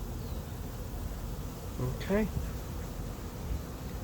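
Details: Honey bees of a late-season swarm settling into an empty hive make a low, continuous humming drone, broken midway by a short human voice fragment.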